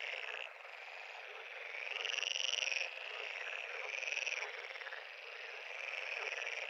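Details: Frog pond chorus with a nearer caller repeating rasping, slightly arching trills about every one and a half seconds over a dense, buzzing backdrop of many more frogs.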